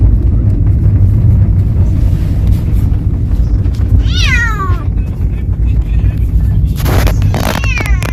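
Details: Talkative pet cat travelling for the first time on a sightseeing outing: one clear, drawn-out meow that slides downward midway, then a shorter second meow, over constant low car engine rumble with a person talking.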